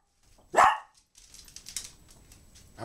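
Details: Dog throwing a tantrum because it wants to go outside: one short, sharp high yelp lasting a fraction of a second, followed by quieter scratching and rustling noises.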